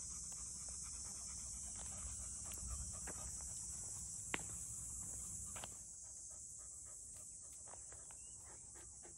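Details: Six-month-old black field-type Labrador Retriever puppy named Goo, out on a walk with a wooden stick in its mouth, panting in quick irregular breaths about three to four per second under a steady high-pitched hiss, with one sharp click.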